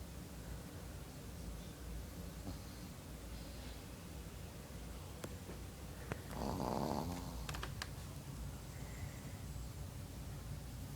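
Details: A sleeping pet dog named China, snoring again indoors: a steady low rasping rumble through the whole stretch, swelling into a louder, rougher snort-like breath just past the middle.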